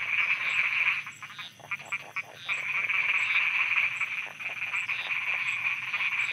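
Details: Thai frogs calling at night: a thick, buzzing croak chorus that dips for about a second, then swells back, with scattered individual knocking croaks and a regular faint high tick overhead.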